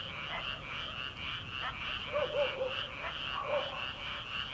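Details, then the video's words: Frogs calling from rice paddies in early summer, before rice transplanting, at night: a dense pulsing chorus of many callers forms a steady high trill, with a few lower croaks standing out near the two-second mark. "초 여름 개구리 울음소리/ 논에서 들리는 개구리 소리"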